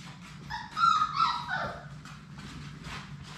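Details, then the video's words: Labrador Retriever puppies, one of a litter of six, at play in an indoor puppy play room; a single high, whining yelp with bright overtones rises and then slides down over about a second, with low room hum and soft clatter behind. "Labrador puppies at play!"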